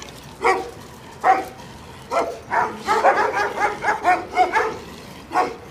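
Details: Jack Russell terrier at a veterinary practice in Samandira, provoking the vet's dogs: sharp, high barks, first spaced apart, then a quick run of about eight yaps roughly every third of a second.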